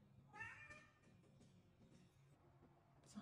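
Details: Needy, vocal domestic cat answering its owner's call indoors: one short rising-falling meow early on, then quiet room noise, with a woman calling out to it at the end.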